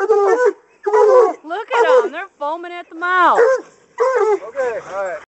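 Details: Hunting coonhounds trained on a caged raccoon give short, bending bawls and yelps in quick succession, some rising and falling in pitch, with a high brief whine between calls.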